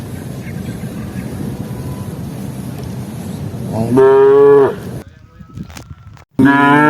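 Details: A herd of tame cattle wandering the rice fields for grass; after several seconds of low outdoor rumble, a strong moo of under a second sounds, then a brief pause and the start of another loud moo.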